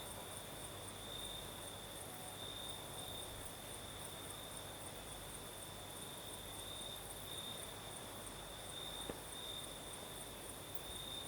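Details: Crickets singing at night in the south, in Crimea, with a night breeze: a steady high trill held on one pitch, brightening in pulsed stretches, over a faint soft rustle of low background noise.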